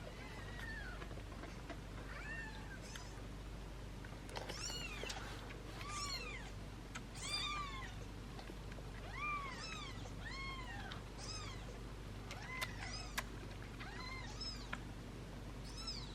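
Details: Seven British Shorthair kittens, being syringe-fed formula while their mother nurses them, mew constantly: high arched cries, often overlapping, several every second, with a steady low hum underneath.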